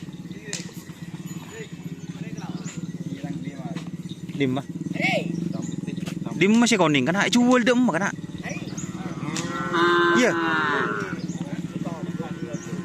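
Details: Cattle at karapan sapi bull race training on the Asemanis field in Pamekasan, held ahead of an anniversary event; a few drawn-out, tonal moos rise over a steady droning hum and crowd noise.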